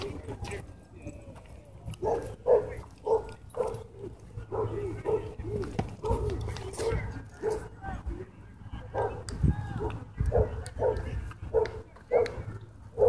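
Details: Dogs at a dog park during a fight, a small white dog launching at and biting a German Shepherd; sharp mid-pitched barks repeat in quick bursts throughout, with people talking over them.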